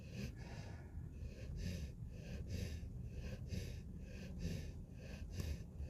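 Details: Snoring puppy in sleep: short, airy snorting breaths repeat about every half second, each a hissing puff layered over a faint low rumble.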